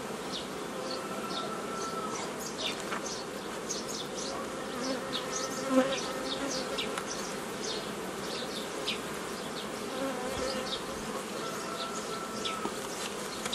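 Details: Honey bees at an apiary on 15 May 2018, while old-style nucleus colonies are made from a previously caught swarm; a steady hum with many bees whizzing past in short rising-and-falling whines, one after another.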